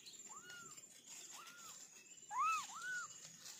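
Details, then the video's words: Kittens from an orange family of four giving a few soft, high, arched meows, the last two louder and close together, over a faint background hiss. "Kitten sound test"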